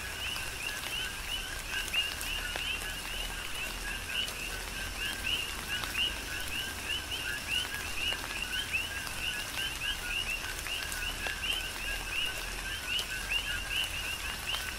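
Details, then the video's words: Rainy night chorus of coqui frogs recorded on the Big Island of Hawaii: dense, continuous two-note calls, a flat lower tone then a rising chirp, from many frogs at once, backed by rain hiss and dripping. "Tropical Rain & Coqui"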